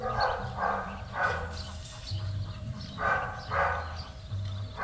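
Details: Barking from Belgian Malinois Trueno while training in Zumpango, State of Mexico: a handful of clipped, rough barks in two clusters separated by a pause, with a continuous low mechanical hum underneath.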